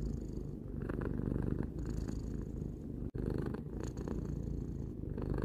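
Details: A three-year-old pet cat purring indoors, filmed as a relaxing sound: a steady low rumbling purr with rhythmic pulses, swelling on each breath roughly every second, briefly cut out around the middle.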